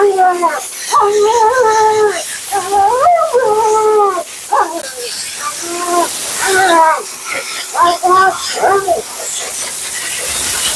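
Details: Vocal female Siberian Husky, Mila, during her bath and blowout at a grooming session: warbling, wavering woo-woo moans in the first half, then choppy short whines, giving way to a rushing blower or spray hiss.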